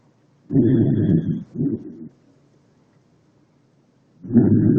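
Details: Snoring from Leona, a pet dog, heard as low, rumbling, rasping breaths. A long snore and a shorter one come close together, then a pause of about two seconds before another deep snore.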